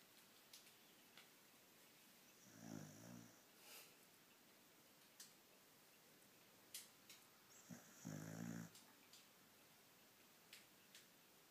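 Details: Beagle asleep, giving two rough snoring breaths a few seconds apart, low and rattling, with faint clicks and soft background hiss in a quiet room.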